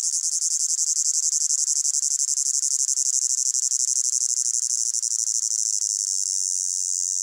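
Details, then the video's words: High, sizzling chorus of crickets in a hot summer meadow, rapid pulsing chirps layered together, gradually smoothing into a steadier hiss toward the end, without other animals or noise. "Sound of Crickets in a Hot Meadow"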